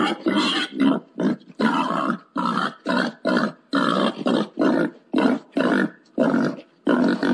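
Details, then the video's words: Rapid rhythmic grunting from a wild boar wanting to mate, short rough bursts pulsing roughly twice a second, steady and unbroken throughout. "suara pangil babi hutan mau kawin"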